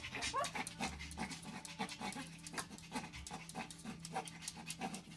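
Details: Dog panting in quick, rough breathy bursts, several per second, with short louder huffs and a low hum underneath.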